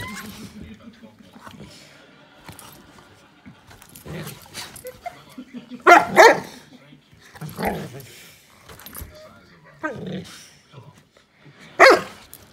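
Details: Playing on her bed, a female Saint Bernard lets out several loud, abrupt barks spaced a few seconds apart, with quieter rustling and background human speech between them.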